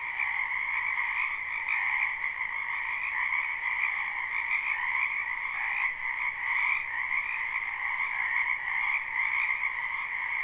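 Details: Numerous frogs croak in the spring wetland behind a house, in a live recording without looping. A thick, even chorus of buzzing trills continues nonstop, many voices blended, with small rises and dips in volume.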